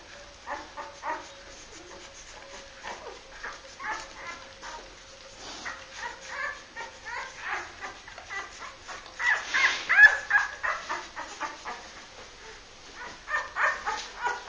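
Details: Labrador Retriever puppies, Honeydark H litter born 23.02.2012, indoors: quick strings of short yelps and whimpers, several per second, with a louder burst of squealing partway through and a steady low hum beneath.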